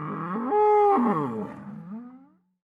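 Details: Bull giving a single drawn-out bellow lasting over two seconds, rich in harmonics, swelling loud in the middle with a brief strained upper tone, then sliding down and fading into silence.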